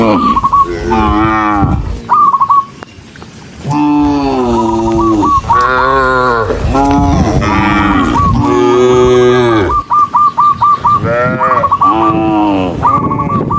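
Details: Tame cattle, dozens of them walking together, calling in long, overlapping moos, low and rich with harmonics, several animals bellowing almost continuously. Bursts of short, high, repeated chirps sound in the gaps, mainly early and late.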